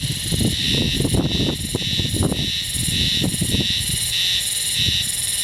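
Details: Black male Harusemi, a spring cicada, singing from a low shrub on the seashore in May 2016: high, shrill buzzing pulses repeated about twice per second in a steady rhythm, over a low roar of wind or surf.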